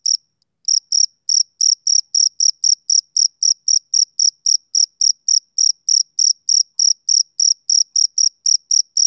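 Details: Male cricket chirping on a summer evening: steady, rhythmic high-pitched pulses, about four per second, after a short pause at the start; no other sounds.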